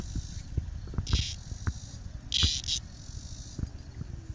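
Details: Cicada encountered by the dog Bella on a walk, with two short loud buzzing bursts over a steady high hiss, low thumps and handling noise beneath.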